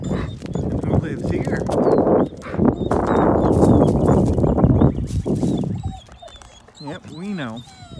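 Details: Two dogs out walking to visit their friend Nikki, a boxer who is not out today; several seconds of loud breathy rustling, then a short wavering whine that rises and falls near the end.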